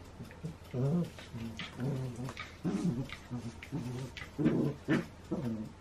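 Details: Pair of Shetland Sheepdogs at play on 28 January 2016, giving a steady run of low, throaty growls and grumbles, about ten short bursts, some rougher and louder, in a small room.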